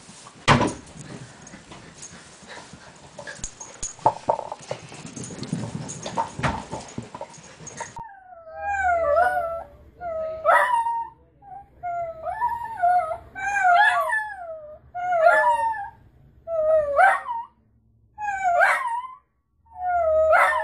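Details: Dachshund, a sausage dog kept as a pet, gives a run of high, wavering yelps and whines. They rise and fall in pitch and repeat roughly every second or two, after a stretch of noisy indoor rustling and thumps.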